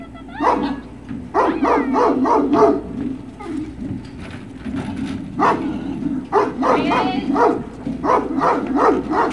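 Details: Several Great Dane puppies at Puppy Hill on 21 March 2019 yip and bark in rapid clusters, some notes rising into squeaky whines, with a low steady hum beneath.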